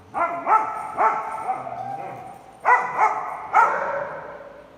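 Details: Big dogs at a dog daycare on Halloween, 31 October 2020; a series of short, sharp barks in two clusters with a pause between, some echo indoors.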